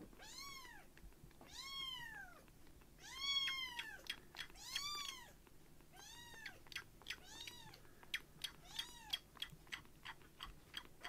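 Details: Baby foster kitten Uchan, a light-brown rescue, standing on a palm after bottle feeding: loud insistent mews, about nine, longer and stronger at first, then shorter and quicker, with small clicks between calls.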